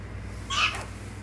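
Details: Baby prairie dog named Poppy gives a single short, sharp bark with a bright harmonic chirp lasting about a quarter second; a person says hi before and reacts afterward.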